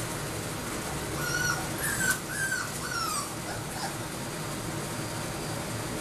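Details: Labrador Retriever puppies, AKC registered, with a short burst of high thin whimpers and squeaks in the middle, then quieter fading cries against a constant broadband background hiss.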